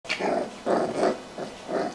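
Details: Rottweiler puppies at a kennel in Hoàng Mai, Hanoi, Vietnam, growling in a way likened to tiger cubs: five short, rough, rumbling bursts, each about a quarter second long, separated by brief pauses.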